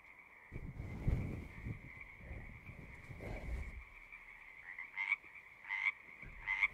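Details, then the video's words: Singing frogs form a continuous high trilling chorus, muffled early on by low rumbling thumps. Toward the end three louder, nearer calls stand out, each a short bright burst about a second apart. "One hour of singing frogs."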